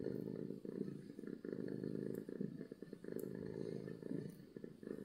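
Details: A domestic cat purrs loudly from happiness. The low, grainy rumble is steady and pulses gently with breathing, and it is broken by brief dips between breaths.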